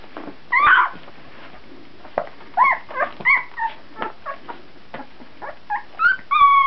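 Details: Fourteen-day-old puppies, one named Peanut, recorded in 2009: a run of short, high whimpers and yips, some rising and falling, repeated in quick bursts and ending in two longer, steady whines.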